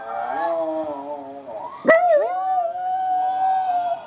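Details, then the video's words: Pet dog howling along with family in the evening, set off by videos: a long, sustained, wavering tonal howl that briefly dips then rises and holds steady, with overlapping howling voices. "Harley and family having a evening howl session."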